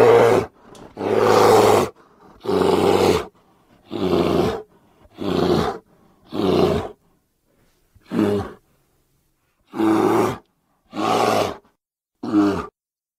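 A grizzly bear gives a series of deep, harsh, rasping roars, each lasting under a second.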